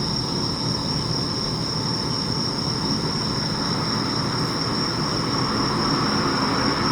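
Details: Around 1 a.m. on 3 September 2025 in Sendai, bell crickets ring on during a far-off thunderstorm toward Yamagata: a sustained bright high tone with rapid pulsing, laid over continuous broadband rumbling noise.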